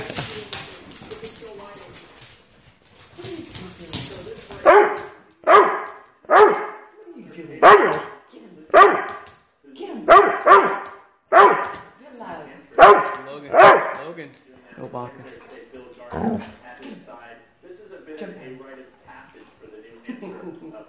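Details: Chihuahua confronting two Dobermans, giving a run of about ten sharp barks roughly once a second, followed by softer yips and growly sounds, with people talking in the background.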